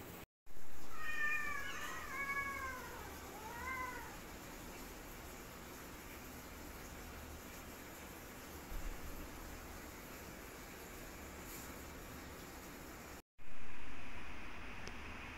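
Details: Cats in a fight: a short, warbling yowl with bending overtones dips and rises for about three seconds, followed by long stretches of quiet background hum.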